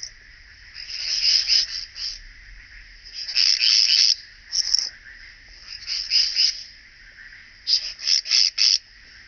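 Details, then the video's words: Striated bush-cricket singing at Vela Ucka, Croatia, on 25 July 2023: high, buzzy chirps made of several rapid pulses, given in short bursts roughly every one to two seconds, with a faint steady hiss between them. "Pachytrachis striolatus -- Gestreifte Südschrecke -- Striated Bush-cricket"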